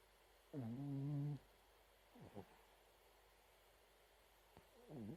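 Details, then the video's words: A Chihuahua asleep and snoring. One steady, humming snore of under a second comes first. Small snuffling breaths follow, then a rising, groaning snore begins at the end. "いびきチワワ(Snoring dog)"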